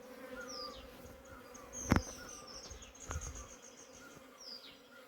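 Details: A honey bee colony that tried to abscond, held back by a queen gate with the queen inside. A soft, steady, low buzzing drone with faint overtones is broken by two sharp knocks. Faint high chirps sound in the background.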